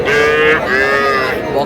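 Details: Small calf at a busy market in Madaripur, Bangladesh, where farmers buy bull and heifer calves, giving one clear, high, nasal moo that holds steady then sags slightly in a second breath, with faint voices behind.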